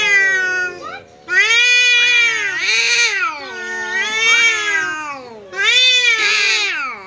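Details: Cats quarrelling after a visitor cat shows up, loud sustained yowling in long wavering wails with rising and falling pitch and brief breaks between bursts.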